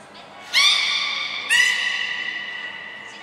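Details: Captive belugas Gray, Nana and Mirai training at Port of Nagoya Public Aquarium on 7 June 2022: two loud, abrupt harmonic squawks about a second apart, each holding a steady, rich tone before trailing into hall reverberation.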